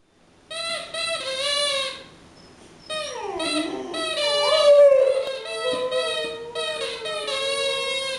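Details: Mattie, a four-year-old Boxer dog, sings her version of Frosty the Snowman indoors: wavering, drawn-out howls with rich harmonics, gliding up and down in pitch, broken by a short pause.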